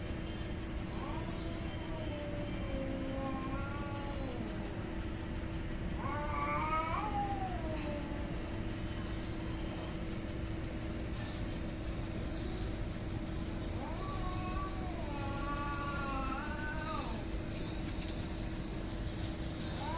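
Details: Two cats in a hostile fight: three bouts of wavering, moaning yowls with rising and falling pitch, each lasting about two seconds and separated by quieter gaps. A heavy low background rumble and a steady hum persist.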